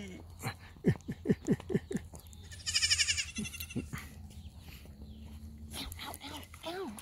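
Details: Goat kids crowding a person and frantically wanting to be fed: a run of short clipped calls, then a loud shaky, pulsing bleat, followed by a woman's voice and more calls.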